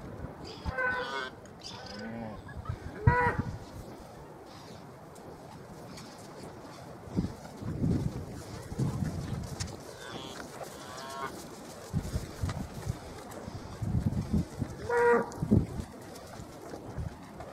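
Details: Hereford cattle, a cow and her nearly four-week-old calf released back to the herd after being kept apart since birth; a few low moos scattered through the recording, with a brief higher, harmonic call near the start and another near the end, amid outdoor rustling.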